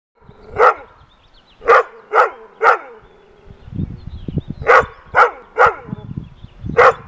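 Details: Rough Collies bark at a groundhog sitting on a fence, giving sharp, ringing barks in two quick bursts of four, with a low rustling between.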